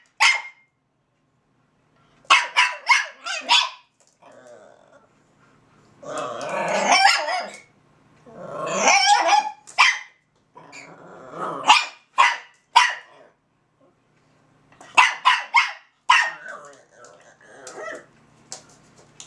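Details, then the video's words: Kennel pair Zora, a Russian Toy, and Bazooka, a Belgian Malinois, holding a vocal exchange: clusters of rapid high barks alternate with long rough growl-like vocalizations, ending in more quick yapping bursts. "Russian Toy Zora and Belgians malinois Bazooka (conversation)"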